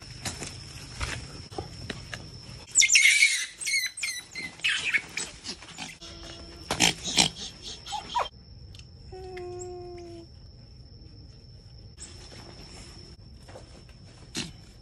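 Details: Tian, a rescued female baby otter, aggressive after three months kept in cages, gives harsh screeching squeals and chirps in rapid bursts over the first half, then falls quieter; a steady high whine runs throughout, with a brief tonal sound midway.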